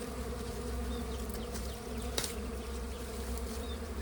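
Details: Honey bees at a colony found during a honey hunt make a steady, low, droning hum that holds even throughout, with one faint click midway.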